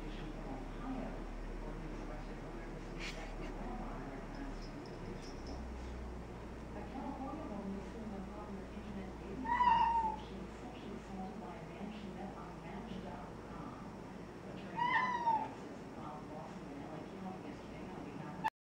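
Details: House cat at a dining room window calls toward an orange tabby sitting outside: two clear, slightly rising meows about five seconds apart, with faint human voices and low household hum in the background.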